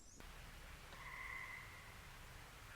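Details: In June, a tree frog, one of a species that began singing the week before and sings on through July, gives one steady, musical, mid-high trill lasting about a second over a soft hiss.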